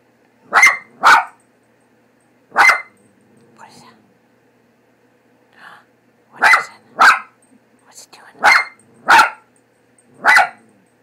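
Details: Frightened of the cat printed on a cat food bag, pet dog Leo barks in pairs and singles at uneven intervals, about nine loud barks, with faint voice sounds between.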